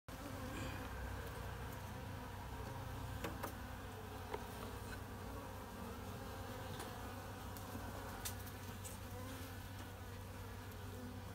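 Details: Western honey bees in a mini mating hive during the longan flowering season, with the queen being inspected: a steady, low droning hum layered with a few sharp clicks and knocks from handling the frames.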